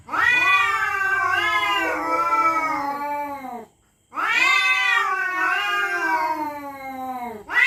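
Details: Two long, eerie night-time yowls from territorial cats threatening each other, each lasting over three seconds with warbling pitch that dips and rises, separated by a brief silence.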